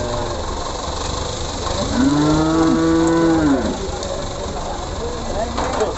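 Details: Simmental cattle being sold at the Pasar Pon cattle market, Ambarawa, Indonesia; a single sustained low moo of about two seconds with rich harmonics, set against a steady hum of market noise and vehicles.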